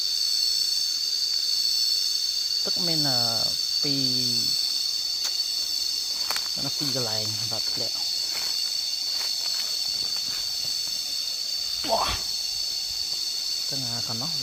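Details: Cicadas keep up a constant high-pitched ringing drone while people talk in short phrases several times over it.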